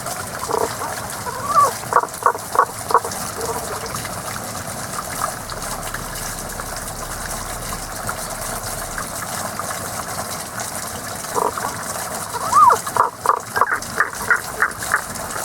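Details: Frog heard but not seen, singing only at this time of year: two bursts of rapid clicking pulses, each lasting about two seconds and separated by a long pause, over constant gushing water.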